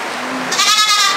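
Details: Goat housed on a farm, penned with nanny goats and their kids and dairy goats; a sustained, wavering, harmonic bleat of about half a second stands over constant background hiss, with brief human calling around it.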